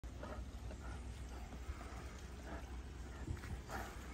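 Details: A Bengal tiger at an animal preserve in Naples, Florida, chuffs with soft, breathy snorting puffs through its nose, a friendly affiliative greeting made only by big cats.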